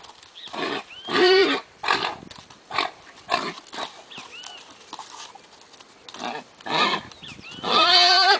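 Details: Lusitano stallion, stirred up in front of mares, gives sharp harmonic squeals and short rising-falling cries in bursts. A long, loud, ringing whinny comes at the end, with breathy noisy snorts between calls.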